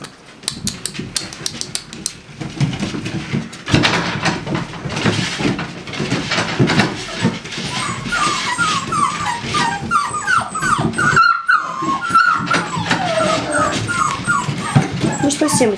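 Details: American Staffordshire Terriers from a breeding kennel: after some indistinct shuffling, a run of short, high, rising-and-falling yelps and whimpers repeats rapidly through the second half, with a soft voice murmuring nearby.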